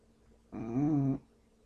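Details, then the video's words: A sleeping English Bulldog lets out one short snore, a buzzing, nasal drone lasting under a second, steady in pitch, in an otherwise quiet room. "English Bulldog Snoring and Won't Wake Up"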